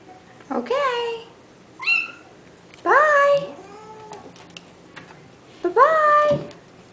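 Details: Playful litter of hairless Sphynx and dwarf Bambino kittens indoors on a Friday morning, 9-11-09: four loud, rising-then-falling meows, each under a second, spaced one to three seconds apart, with a woman's voice softly talking.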